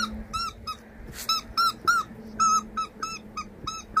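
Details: Repeated high squeaky whines from a Labrador Retriever, short tonal yelps in uneven bursts roughly every quarter second, with a faint low hum and one brief rustle in between.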